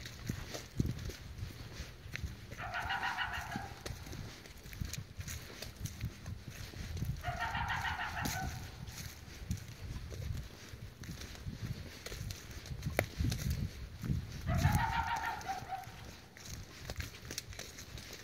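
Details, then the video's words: A coyote keeps barking in the morning as someone heads to a tree stand: three drawn-out, tonal barks, each rising slightly then levelling, spaced about five to six seconds apart, with steady crunching footsteps throughout. "Coyote barking"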